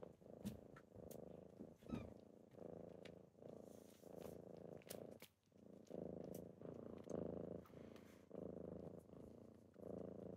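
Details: Morning wake-up purring from kittens: a continuous low rumble that swells and fades in regular breath-length cycles. It dips briefly halfway through, with scattered taps and rustles.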